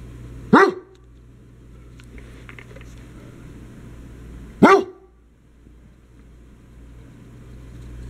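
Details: Dog barking during play among a dachshund puppy named Bernadette, an old English sheepdog named Murphy and a basset hound named Hazel: two single sharp barks about four seconds apart over a steady low hum.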